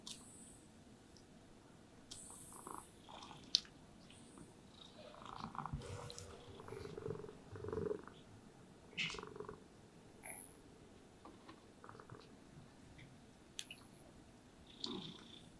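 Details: A happy house cat lies relaxed in sunlight and purrs while being groomed with a brush; a quiet, even purr fills the background, broken by occasional gentle brush strokes, small rustles and one sharp tap.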